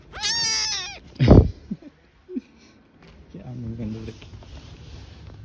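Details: Street-living newborn kitten beside its mother: one loud, high, strained meow lasting under a second, then a sharp thump, soft rustling and a woman speaking Turkish at low pitch.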